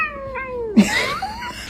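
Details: Domestic cat indoors giving a long, smoothly falling meow, then a louder, harsher wavering yowl that slides upward and trails off, with faint room noise behind.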